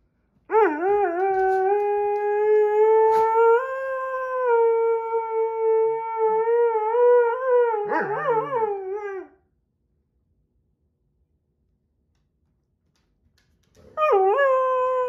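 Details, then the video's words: Husky-Malamute named Sasha voicing displeasure as a Husky and a Doberman play nearby; a long nine-second howl that steps up in pitch, breaks into wobbling yodel-like turns, falls silent for several seconds, then starts again. "Husky, Malsky, and Doby Play and Sing"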